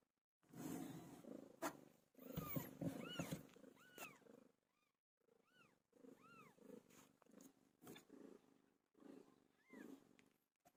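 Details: Domestic cat named PILO during birth: a series of high, arched mews rising and falling, several in a row, over rough, low rumbling purr-like bursts that come and go.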